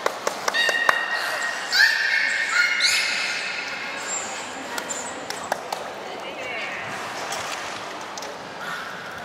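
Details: Belugas Gray, Nana and Niko during a training session at Nagoya Port Aquarium, 14 October 2019; short high whistles and chirps come in a burst midway, among sharp clicks and knocks and a hall's background chatter.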